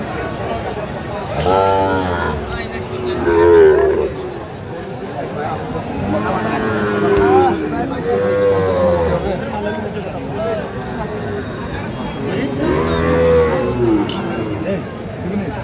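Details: Sahiwal bull calves at a cattle market near Comilla, Bangladesh, 15 January 2025: several drawn-out, deep lowing moos from the herd rise and fall among the animals, while buyers and sellers haggle over prices in the background.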